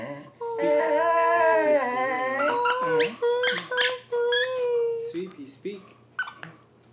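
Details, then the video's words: Indoors, when asked to speak, Sweet Pea, a female pet dog, holds a long, even whine with a slight wobble, then trails into choppy squeaks broken up by the owner praising her as a good girl. "Sweet Pea talking"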